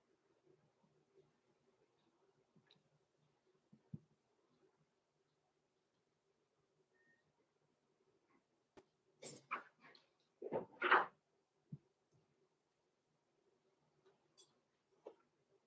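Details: Six-week-old blenheim Cavalier King Charles Spaniel puppies, Roman and Blue, born November 14, 2022, in an indoor puppy pen; a short cluster of sharp yelps and whimpers breaks a long quiet stretch, with a faint steady hum throughout.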